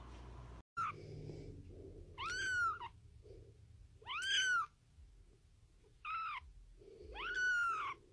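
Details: Kitten meowing repeatedly: four clear arched mews, each rising then falling, spaced about one and a half to two seconds apart, with soft low murmurs between calls.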